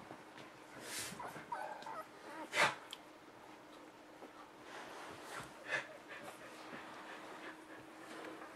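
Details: Six-day-old pups from the Bodie-Mattie litter let out two brief, high squeaking whimpers about three seconds apart, with soft rustling and shuffling filling the pauses between them.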